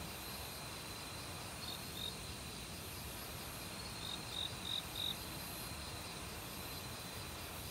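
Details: In an autumn forest, crickets sing among other insects. Scattered high chirps come in two groups, the later ones louder and quickly repeated, over a constant broadband wash of flowing stream water.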